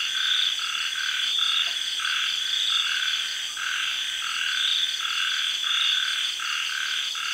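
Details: A dense night chorus of frogs calls together after sunset in a tropical garden in Thailand, early in the rainy season, with steady cicada and insect trilling underneath; a busy highway lies about 800 m away.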